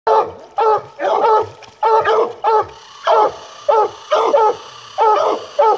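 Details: Treeing Walker Coonhound. A Treeing Walker Coonhound gives a steady run of loud, full-throated barks with a ringing tone. The bursts come in ones and twos at an uneven rhythm, roughly every half second to second.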